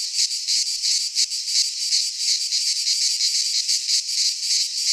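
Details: Midsummer chorus of cicadas in Greek pine forest, an unbroken high rasping buzz that swells and dips in rapid pulses, about three surges each second, steady and loud throughout.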